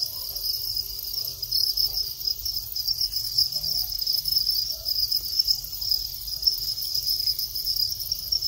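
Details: Male Thai house cricket calling as the breeding cycle begins, after the final moult to long wings. A steady, high, shrill chirping trill runs continuously with no clear pauses, over faint low background hum.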